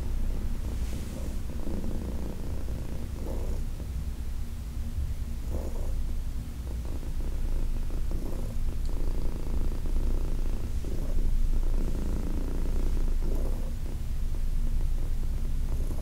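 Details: Senior cat Heidi, age 14, adopted from the Humane Society of New York City, keeps up a continuous deep purr while being massaged on August 4, 2021, with soft brushing and stroking sounds breaking in now and then.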